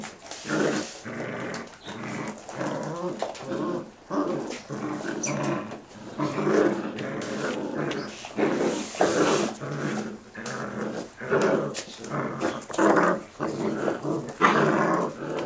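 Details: Belgian Malinois puppies, 40 days old, growling indoors in a string of short, rough, broadband bursts repeated every second or so, with scuffling and snuffling noises between the bursts.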